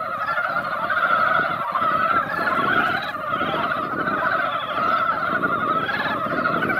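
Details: A mass of mountain frogs at a valley pond after a ground-wetting rain, calling in a loud, seething chorus of overlapping croaks that swells and eases, over a low rumbling background.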